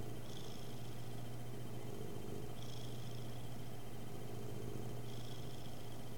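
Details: Cat purring indoors, picked up by a webcam microphone; soft continuous low rumble pulsing with each breath roughly every two to three seconds, under a steady background hum and hiss.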